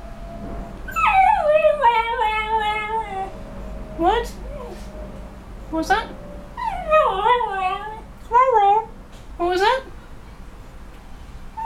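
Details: Henry, a 2-year-old cocker spaniel, "talks" to his owner, irritated because he wants to go out. He grumbles in drawn-out, wavering whines and short yelps ("rao rao rao").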